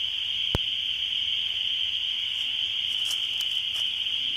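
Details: Spring peepers calling in spring: a dense, unbroken chorus of high-pitched peeps merges into a steady ringing drone, with a few faint clicks and taps scattered through it.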